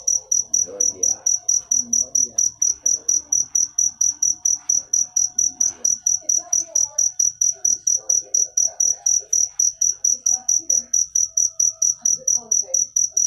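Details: Cricket chirping steadily: a high, pure, ringing note pulsed about three times per second, very even and continuous throughout, with faint low murmuring voices and indoor sounds underneath.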